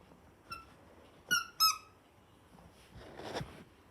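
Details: A female toy poodle puppy only three minutes old gives three thin, high squeaks, each dropping slightly in pitch.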